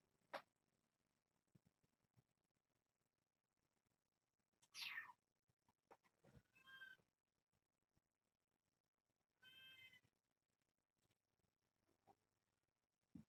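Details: Kittens from a litter of seven born June 21st to Nala Se, a year-old stray cat taken in by Purrfect Pals, playing indoors in the evening with a microfiber towel; a few short, high, harmonic meows and a falling squeak, spaced by quiet, with soft thumps.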